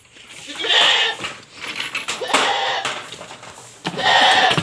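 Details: Pregnant goats on a backyard farm make a lot of noise while waiting for ipil-ipil leaves in very hot weather: three harsh, wavering bleats, with a man speaking between them.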